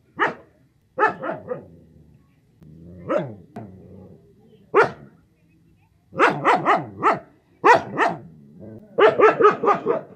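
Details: Dog barking repeatedly in short, harsh bursts, at first spaced out, then in rapid clusters of three or four barks toward the end, with quiet low rumbling between.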